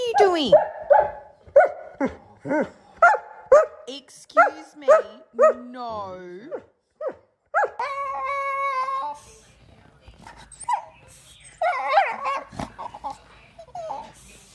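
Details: Domestic dog arguing with its humans: a run of about eight short, clipped barks roughly every half second, followed by a drawn-out, warbling whine and more scattered vocal sounds mixed with human voices indoors.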